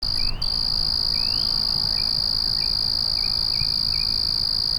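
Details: Crickets at night: a steady, high, unbroken trill runs through the whole stretch, with faint short rising chirps from other callers scattered underneath and a low background rumble.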